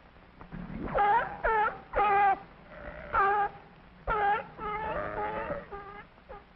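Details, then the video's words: A sea lion at the Bronx Zoo gives loud, harsh, honking barks in quick bursts, roughly one per second. "s is for sea lion let's listen to it bark"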